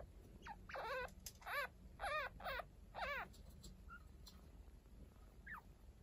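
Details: Baby chinchillas a week old, Hinata and Ryo, looked after by Kaito, who is not their parent. Several loud quavering squeaks at about one per half second, then a few faint falling peeps amid soft background noise.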